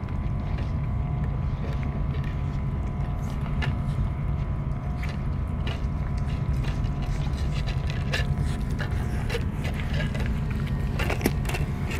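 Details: Steady low engine-like rumble with scattered clicks and taps outdoors, and no animal voice heard.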